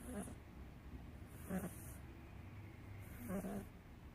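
A British Shorthair cat snores softly, each low raspy breath recurring about every two seconds.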